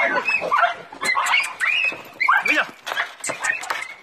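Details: Five-month-old Jack Russell Terrier puppies on a wild boar hunt yap in shrill, excited barks, with squealing and voices mixed in.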